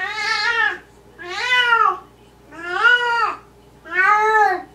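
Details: Indoor Maine Coon vocalising at night: four stretched, bending meows, each near a second long with a rise-and-fall contour, separated by short pauses, against a faint steady background hum.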